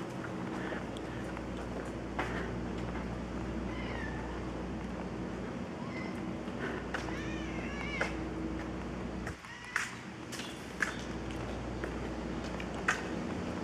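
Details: Feral cats meowing at feeding time at Evergreen Valley College, several short wavering meows scattered through the clip over a loud steady hum from an electrical transformer, with occasional knocks.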